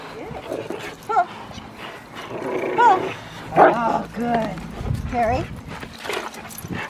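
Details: Rottweiler Magda vd Fehn Kolonie, BH, in protection training, gives short harmonic barks at irregular gaps, about five in a row, while a person talks and gives commands throughout.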